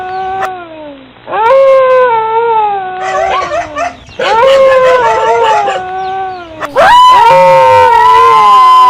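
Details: Dog howling in a compilation of howling and barking dogs: long sliding tonal howls with rich harmonics, wavering and slowly falling, several overlapping voices midway, then a loud sustained howl near the end.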